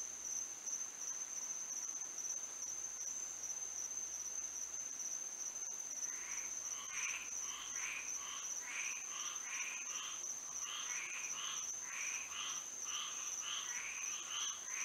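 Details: Frogs singing on a moonlit Florida night: after a stretch of steady high insect drone, a frog chorus starts midway, with short raspy calls repeating in quick succession over the constant shrill insect tone.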